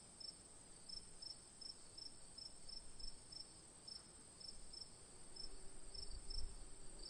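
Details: Crickets on an autumn night at a campsite: short, high chirps repeated in uneven runs of two or three per second over a steady, thin, high hum from other insects, with a soft low rumble underneath.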